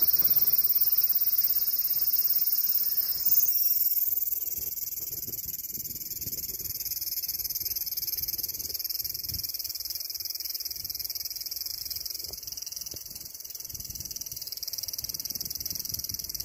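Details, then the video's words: Cicada singing a dense, high, hissing drone that never breaks, shifting slightly in pitch after a few seconds, then carrying on evenly. "Cicada Sound"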